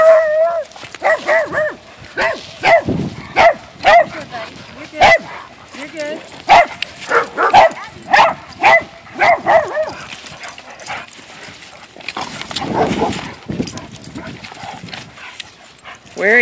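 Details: A Weimaraner playing with other dogs at a dog park gives a run of short, sharp barks and yips, with people talking nearby.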